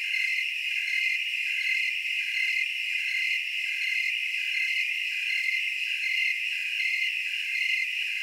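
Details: Willamette Valley, Oregon tree cricket chorus: overlapping high continuous trills with a clear rhythmic pulsing about every two-thirds of a second, steady in loudness, nothing else audible.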